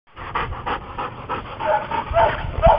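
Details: An American Bulldog, a large purebred adult, pants after jumping high into the air: quick rhythmic breathy puffs roughly every third of a second, with a man speaking encouragement over the breathing.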